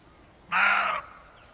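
A deer gives a single harsh, raspy call lasting about half a second.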